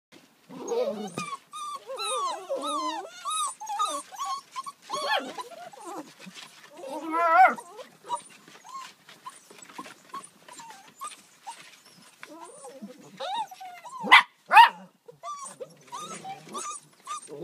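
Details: Border Collie puppies in west Ireland giving a busy run of high, wavering yelps and squeaky whines, often overlapping, with short gaps and a few louder sharp yips near the end.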